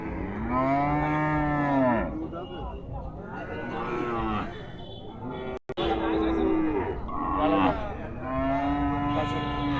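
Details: Cattle at a market for small cows: a series of four deep, rich moos, each lasting one to two seconds, with short gaps between them. Faint voices sound in the background.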